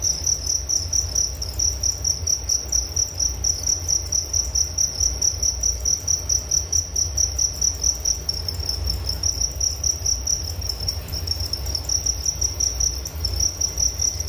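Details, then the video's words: High shrill chirps of crickets repeating about twice a second in regular pulses, with a second fainter higher trill and a low steady hum behind. "Relaksasi Suara Jangkrik Penghantar tidur || Nature Sound of Crickets"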